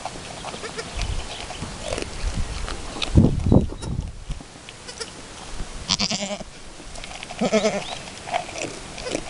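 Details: Chamois-coloured Alpine goat named Chiara at her first kidding, with her newborn kid two hours after birth as both try to manage nursing; two wavering, harmonic bleats arrive late in the clip amid rustling and thumps of movement.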